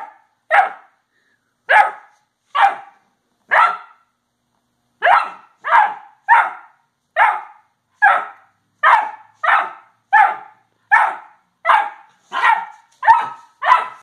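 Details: A 10-week-old Irish Setter puppy gives sharp, high barks, repeated roughly every second in a steady series.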